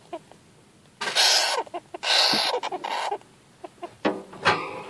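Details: Newly acquired young Syrian golden hamster sounding afraid or annoyed during a first handling on 8 February 2014: two harsh, noisy screeching bursts about a second apart, then scattered short squeaks and rustles, with Finnish voices around.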